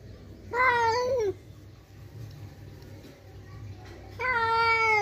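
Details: Kiki, a house cat, yowls loudly in anger at an outside cat coming to the house: two long, strained, harmonic-rich wails, the first wavering then dropping at the end, the second starting after a quiet gap, over low indoor hum.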